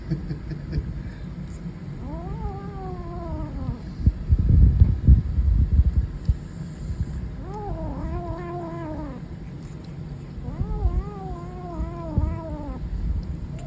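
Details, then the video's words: Savannah kitten growls in three separate drawn-out, arching tonal wails, each about two seconds long, with a burst of low rumbling noise between the first and second. "Savannah Kitten Growling"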